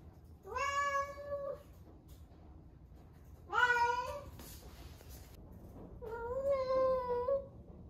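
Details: Drawn-out yowling meows from an 11-month-old female rescue cat in her first heat, kept indoors in Osaka: three long harmonic calls about three seconds apart, the last lower and wavering, over a faint room hiss.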